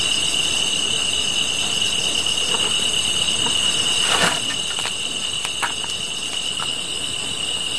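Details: Grass insects calling beside a campfire: a steady, unbroken high ringing tone with a fainter shimmering buzz above it, pulsing rapidly throughout, while scattered crackling clicks from the fire break in around the middle.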